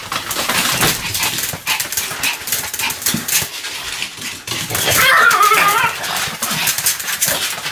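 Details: Pomeranian named Sam in a bout of continuous barking: dense, harsh, broadband yaps tumbling over one another, roughly two per second, loud and irregular throughout with no clear pause.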